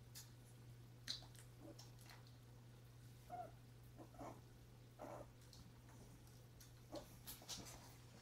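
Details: Indoors on January 30 with Pepper, a mother dog, and her puppies: soft brief whimpering squeaks come every second or two between scratchy clicks and shuffling, with a constant low hum beneath.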